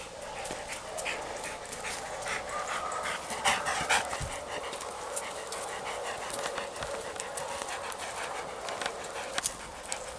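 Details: Male Labrador cross, ten years old and living at a shelter, pants during a walk outdoors. Quick breathy bursts repeat about twice a second, with scattered clicks and rustling around them.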